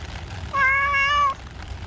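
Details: Cat in a park on a rainy day: one drawn-out, steady harmonic meow lasting under a second, with rain noise beneath.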